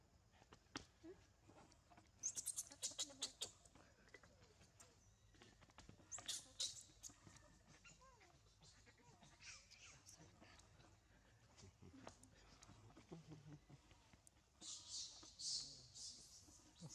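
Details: Orphan baby monkey Amanda throws a spoiled crying tantrum, begging old grandma Ashley to groom her; shrill high squeals burst out in short bouts near the start, the middle and the end, with clicks and faint voices in between.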